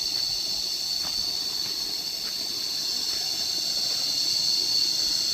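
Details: Shrill, continuous cicada chorus on a relaxed outdoor stroll, a bright high-pitched hum that stays level and dense throughout, with a few soft faint ticks in the background.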